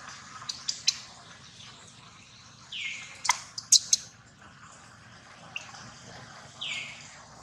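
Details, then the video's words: Hurt baby monkey Daniela cries while Queen Dolley attacks and Dana tries to take her back. Two high, shrill squeals slide downward a few seconds apart, with sharp clicks and snapping noises between them. "Baby Monkey Daniela Cries So Loudly While Queen Dolley Attack From Dana."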